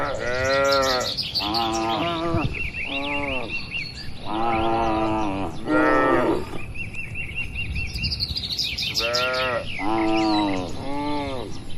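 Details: Dozens of cows resting and moving inside a large farm barn give a run of deep, drawn-out moos, several overlapping, with small birds chirping brightly above them throughout.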